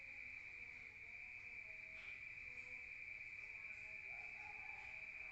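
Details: Crickets sing outdoors on a rural night, heard from inside: a continuous bright, high trill with no breaks, plus faint low murmurs and a brief fainter tone near the end.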